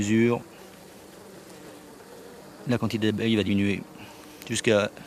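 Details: Honey bees of a drone-laying hive buzz after their frames are shaken out near the apiary. Short loud swooping buzzes at the start, middle and end over a faint hum.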